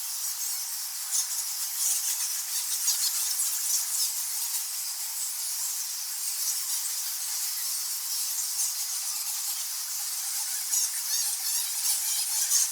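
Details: A dense chorus of high, thin squeaks and squawks from thousands of nectar bats, described both as roosting in a cave and as flying foxes in trees in a subtropical area.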